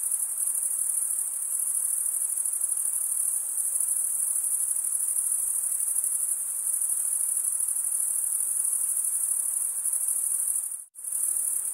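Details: Male crickets chirping by wing stridulation, a constant high-pitched trilling wash that runs steadily until a sudden brief cut to silence near the end, then resumes at the same level.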